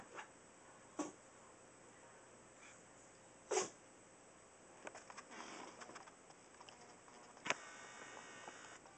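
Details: Two-and-a-half-pound Chihuahua Max sneezes with a loud, explosive puff midway, among short snuffles and sharp clicks. Quiet indoor background.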